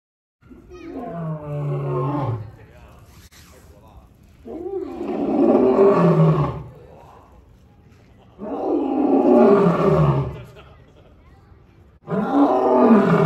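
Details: A captive male African lion, nine years old, roaring at Cleveland Metroparks Zoo in Ohio, where he lives with an older female; four long, deep, grating roars about every four seconds, each loud burst sliding downward in pitch and fading into quieter breathy pauses.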